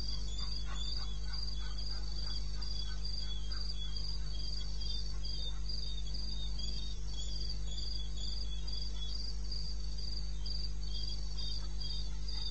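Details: Cricket calling at night in the wilderness of eastern Botswana, recorded 21 May 16 at 02:30 AM: high, even chirps repeated about four times a second, with a fainter second trill just below and a constant deep hum underneath.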